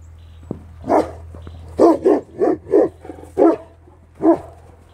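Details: Central Asian Shepherd Dog (Alabai) barking: six deep, loud barks at irregular intervals of about half a second to a second, over a low steady hum.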